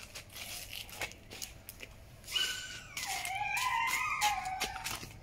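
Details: Four abandoned kittens left in front of a house in Cambodia, meowing all at the same time; soft rustling and crinkling first, then overlapping high, drawn-out tonal mews rising and falling through the second half.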